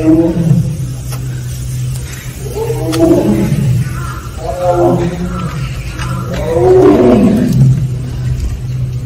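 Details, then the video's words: At Seoul Grand Park, a Siberian (Korean) tiger from Penja's family gives four nasal, wavering 'aung' moans spaced roughly two seconds apart. The last is the loudest and slides downward. A constant low mechanical hum runs beneath. "펜자네 가족 아웅 총 모음. 아웅~~~~"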